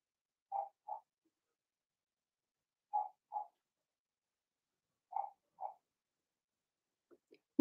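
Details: Young Blenheim Cavalier King Charles Spaniel puppy from a litter of six in an indoor pen. Three evenly spaced pairs of brief yips arrive about every two and a half seconds, with a sharp knock at the very end.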